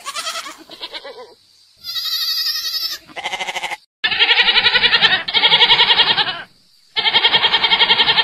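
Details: Goats from a farm give loud, buzzy, vibrating bleats, a short high cry followed by long sustained quavering calls separated by brief silences.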